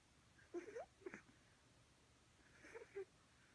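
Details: A sleeping pug puppy with its tongue out makes soft, squeaky wheezing snores in two short breathy bursts.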